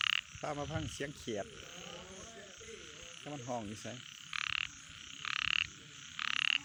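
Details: A night frog chorus with wavering harmonic croaks in the first half, then three short buzzy bursts, each carrying a thin steady tone, about a second apart.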